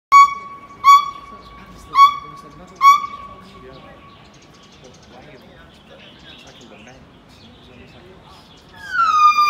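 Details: Monkey calling in Macau: four short clear tonal calls, each with a rich stack of harmonics, spaced about a second apart, then quiet background and a final slurred, descending call at the end.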